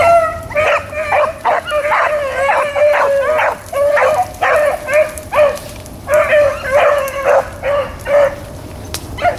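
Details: Rabbit-running hounds recorded April 4, 2013, several dogs giving choppy, repeated bawls in clustered bursts with short pauses, a few higher yips mixed in against faint low rumble.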